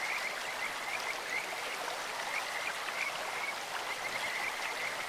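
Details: Kajika frog at a clear stream giving short, separate high chirps in an irregular series, like a bird or insect. Loud, hissing running water lies beneath the calls.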